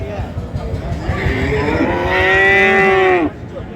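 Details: Friesian and crossbred bull calves at the Ambari cattle market in Dinajpur, Bangladesh, 29 December 2025. One long, drawn-out bellowing moo of about two seconds swells in loudness, then cuts off sharply amid crowd chatter and price haggling.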